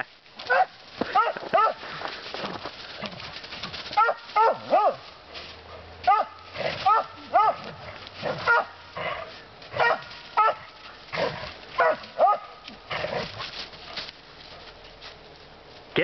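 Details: Pet dog out in the woods with a second dog, barking persistently: sharp, harmonic barks in short bursts, roughly one every second across the stretch, with a faint low hum underneath.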